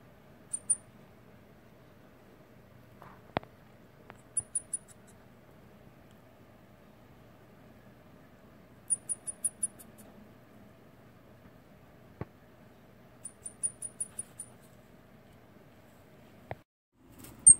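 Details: A separated baby long-eared hedgehog gives short bursts of very high, thin squeaks, desperately searching for its mother.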